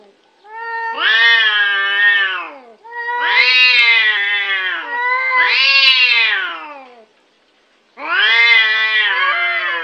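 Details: Cute domestic cat giving long drawn-out meows, four harmonic-rich wails of about two seconds each with a short pause between, gently arching in pitch, in a quiet setting.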